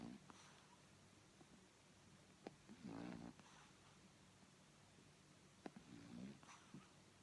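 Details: Sleeping pug puppy Boycie, dreaming while suckling, gives rough, buzzy snores roughly every three seconds, each lasting under a second, with faint wet smacking clicks in between.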